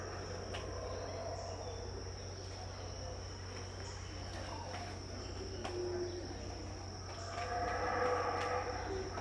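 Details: Distant, unseen howler monkeys give a low, droning roaring chorus at dawn, around 6am, at Tikal, Guatemala, in 2018, beneath a steady high insect whine.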